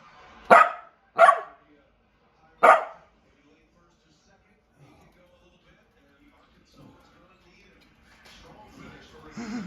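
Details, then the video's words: Puppy giving three short sharp barks in the first three seconds, then near silence with faint rustling and soft noise toward the end. "Talking Puppy"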